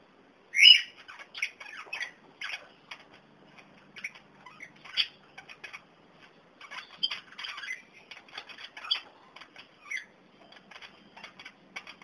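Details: Kakariki, young birds discovering dandelion while older birds eat it eagerly; scattered harsh squawks and short chattering notes with a loud shrill squawk near the start, plus wing flutters and rustling between calls.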